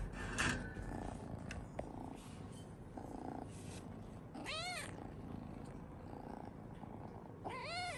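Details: Kitten in a home shared with a large dog, during the morning routine: household rustling and low noise, then two high, arched meows near the end, the second cut short.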